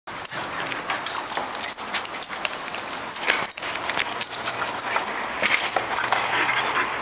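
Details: A female bull terrier, who gets very excited when her owner comes home and brings a toy to greet them, gives excited whines, grumbles and snorting breaths without clear barks over rustling and scuffling; bull terrier.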